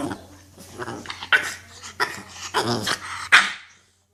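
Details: Lily, a puppy, sneezing when frustrated, acting like a gremlin: a run of short, breathy snorting bursts, about eight in four seconds, ending with one sharp, louder sneeze-like burst before silence.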